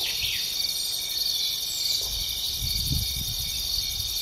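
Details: Grasshopper outdoors, a continuous piercing high buzz with faint pulsing texture, a quick chirp near the start and soft low rustling in the background.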